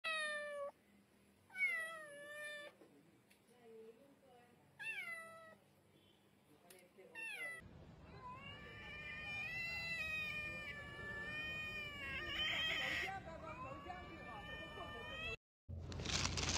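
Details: Domestic cats, possibly kittens, give a series of harmonic meows, first short separate rising-falling mews, then from about eight seconds a long overlapping run of sustained wavering meows over a noisy background, ending in a burst of noise.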